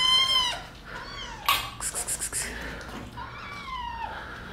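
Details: Kittens at play attacking a person: one drawn-out meow at the start, then a burst of scratchy rustling, and two fainter, falling mews near the end.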